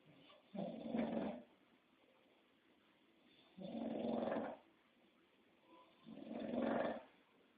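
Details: Sleeping English Bulldog snoring loudly; harsh rasping breaths come in three bursts about every two and a half seconds, each roughly a second long, with quiet pauses between.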